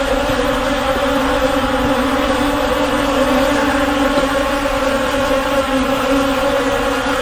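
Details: Droning swarm of honey bees, a constant, even-pitched buzz layered with overtones, sustained without breaks from start to finish.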